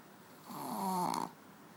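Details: Sleeping on a bed, pet dog Manja lets out one drawn-out snore of nearly a second, a swelling nasal rattle with a faint whistling tone, fading back into a quiet room.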